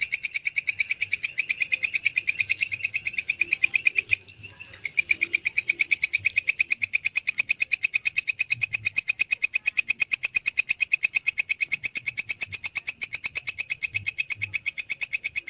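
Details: Kecek grasshopper (walang kecek), a recording used as master sound for training songbirds: rapid, even ticking pulses at about three per second, bright and high, running continuously with one brief pause near four seconds.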